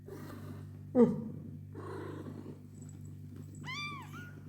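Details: Mother cat with her kittens: low steady purring runs underneath, a sharp loud burst near one second and human speech, then a single high arched meow near the end.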